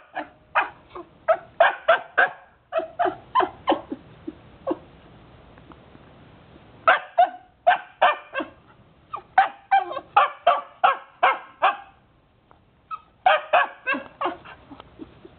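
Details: Jomon Shiba dog in obedience training, practising the wait command: rapid bursts of short, high barks and yips, several per second, broken by brief pauses, with a yelping, excited quality throughout.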